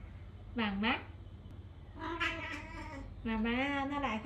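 A Dragon Li cat gives three clear meows, the later ones longer and wavering.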